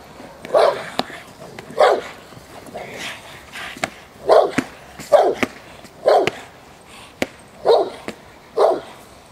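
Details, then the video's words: During protection work at De la Arena field in Germany, J7's Kelly, a Presa Canario bitch from the Irema Curto line, gives loud, deep single barks spaced roughly one second apart, with sharp clicks between them. "J7's Kelly Presa Canario Irema Curto line training protection working at De la Arena field Germany"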